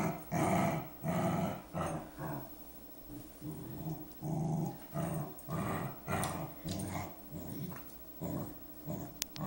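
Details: Low, rumbling pseudo-purr from Saphie the dog, made as rhythmic growly pulses roughly once a second, rising and falling like breathing, with the room otherwise quiet.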